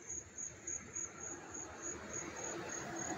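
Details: Crickets chirp up close in high, thin pulses, about three or four every second, over a soft background hiss, in Hastings-on-Hudson, New York, on August 13, 2024.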